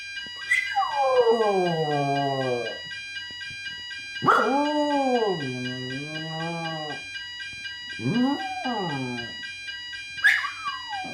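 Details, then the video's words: Alfie, a Jack Russell Terrier, howls along to a weekly Thursday fire alarm test indoors: long wavering harmonic howls that rise then sag, four bouts in eleven seconds, over the steady high electronic tone of the alarm. "Jack Russell Alfie Howls to Fire Alarm"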